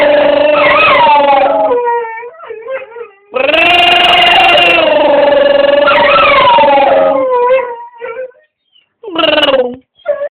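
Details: Pet dog making a funny noise: drawn-out, wavering howl-like vocal sounds with bending pitch in several bursts, separated by short gaps and ending in brief, quieter yelps.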